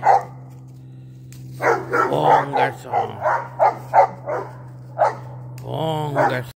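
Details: Presa Canario dog barking while working a spring pole; a run of short, punchy barks comes roughly three per second with uneven spacing, over a steady low electrical hum, ending with a brief voice.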